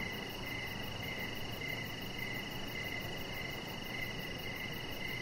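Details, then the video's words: Evening cricket chorus by a deck, short buzzy chirps recurring roughly twice a second over continuous shrill insect tones and low background rumble. "Cricket Sounds"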